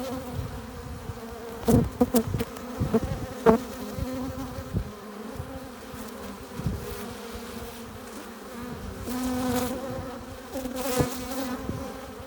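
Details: Foraging honey bees entering their hive with nectar and pollen; a constant low hum with bursts of louder buzzing as several bees fly close, quieter in the middle stretch.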